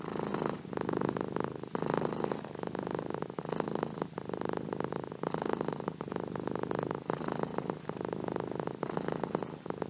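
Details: Cat purring at length, an even, pulsing drone that rises and falls with its breathing, pausing briefly every couple of seconds over ten seconds.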